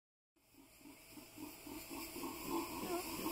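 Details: Venezuelan red howler monkeys, a couple of angry wild males near Palomino, northern Colombia, answer a person's imitated howling from forest along a dirt road: a breathy, rasping roar in rhythmic pulses, building steadily louder like rushing wind.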